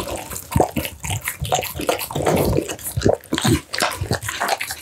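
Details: Close-up mealtime of an American Bully feeding on steamed pumpkin, minced duck meat, tofu and dried vegetables; loud wet gulps and lip smacks come in uneven clusters, with brief quieter pauses between mouthfuls.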